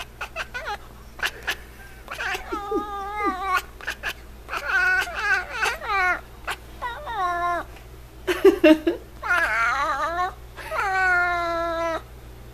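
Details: Niko, a domestic F6 Savannah cat indoors, calls almost without pause: a long run of loud, bending, caterwaul-like meows, some rising and some falling, a few chirpy short notes between, with a brief human voice.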